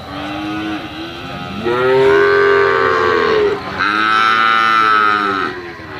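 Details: Calves of the Brahman and Limousin breeds calling in a series of three moos: a brief low one, then two long, loud, harmonic bellows of about two seconds each, separated by a short break.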